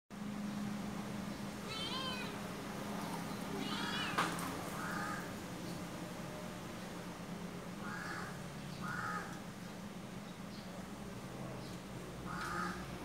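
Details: Domestic shorthair kittens, about three months old, a male resembling a Siamese with blue eyes and his sister, found near shops in Malaysia; short rising-falling meows, some high and wavering, repeated several times over a steady low hum.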